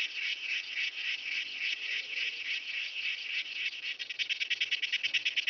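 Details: Myrmeleotettix antennatus grasshopper recorded at Nesvady, Slovakia, on 23 July 2023; a dry rasping song of rapid pulses, steady at first and then breaking into distinct regular strokes near the end.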